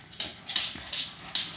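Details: Ruby, a female pug, barking while battling a vacuum cleaner: four short, high-pitched yapping bursts roughly every 0.4 seconds over a steady hissing background.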